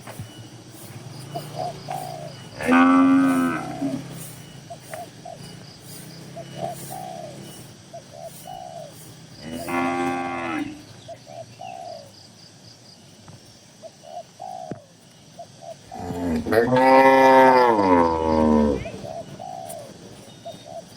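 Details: Calm tame cattle, dozens together in a farm shed, moo three times at irregular intervals, the last call longest and wavering; gentle dove-like cooing and low background hum continue between the bellows.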